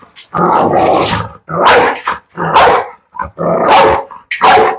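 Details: Fit, heavy Pit Bull said to jump and grab, letting out slow, drawn-out, rough barks about every second, each one long and growly, with short quiet gaps.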